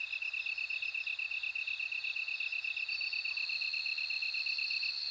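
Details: Bell cricket song of evenly spaced high pulsing chirps, slightly slower, while a thin sustained ringing tone grows louder in the second half over a quiet background insect hiss.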